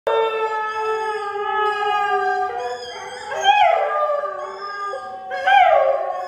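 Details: An odd-eyed Siberian Husky howls in long, drawn-out tones with rich harmonics, swelling into higher wavering cries.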